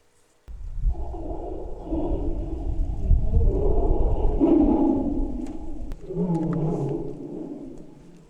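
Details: Tiger's deep, rumbling roar, rough and throaty with a low growling core, lasting several seconds, played to wild boars in an experiment; boars froze and some fled to the mountain.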